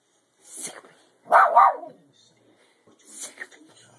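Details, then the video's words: Female Shih Tzu, normally gentle and peaceful, barking at the family cat while people egg her on: three short, sharp, noisy barks spaced about a second apart, with a person's voice urging her around them. "cutest Shit Tzu dog trying to be tough barking @ the cat"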